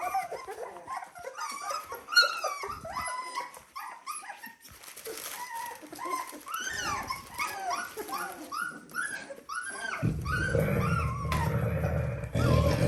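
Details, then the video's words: Litter of Dalmatian puppies at 17 days old, indoors: many overlapping high squeaky whimpers and squeals, each arching up then down, in a busy continuous chorus; music rises underneath near the end. "Dalmatian puppies day 17"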